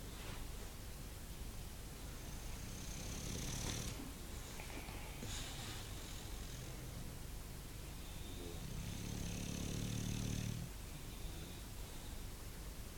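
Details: Bulldog snoring in two drawn-out raspy breaths, the second longer and stronger, each a low vibrating rumble with breathy hiss, over constant background noise.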